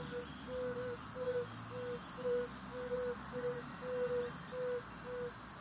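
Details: Male yellow-bellied toad calling in the breeding season from a temporary pond or rut to attract females: about ten soft, short, low hoots, 'ouh-ouh', evenly spaced roughly twice a second, over a steady high-pitched insect-like whine.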